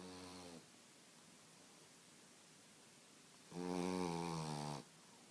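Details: A 9-month-old French Bulldog snores in loud, rattling, throaty breaths with quiet pauses between them.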